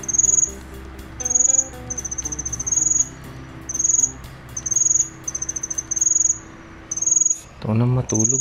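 A cricket chirps in high, pulsing bursts, each trill lasting about half a second with short pauses between.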